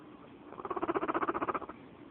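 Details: Pet female guinea pig purring, a sound she makes when happy. It is a soft, rapid, pulsing rumble of closely spaced beats, building and fading over about a second.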